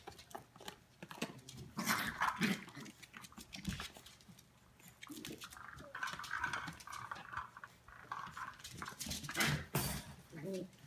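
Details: Eleven-week-old Australian Terrier puppies playing together in their kennel, nearly ready for new homes; short scuffling yips and small low growls come in irregular bursts amid pattering paws and rustling in a small indoor space.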